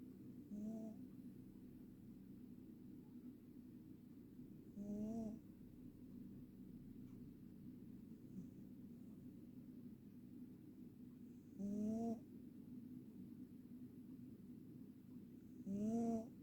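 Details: Ragdoll cat snoring, four low rasping snores spaced about four to five seconds apart, each a short buzzy breath with a droning tone, and soft steady breathing between them in a quiet room.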